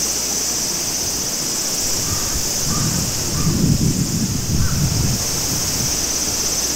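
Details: Cicadas in summer at Maruike spring-water pond, Mt. Kirishima, Japan: a steady high shimmering drone fills the background, while a few short faint calls come through around the middle and a low rumble swells beneath.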